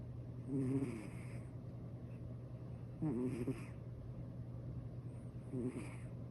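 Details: Sleeping senior calico cat snoring comfortably indoors: three low, rasping snores roughly every two and a half seconds, each a buzzy rattle lasting under a second, over a constant low hum.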